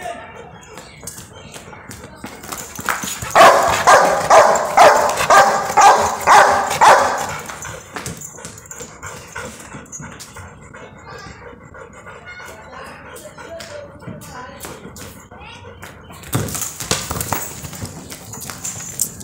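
A Rottweiler gives a four-second burst of deep, rapid growling barks, angry over a football.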